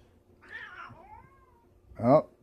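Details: Indoor domestic cat, one of two cats in a home, gives a long, bending meow that drifts downward. It ends in a short, loud, harsh burst as a woman speaks softly nearby.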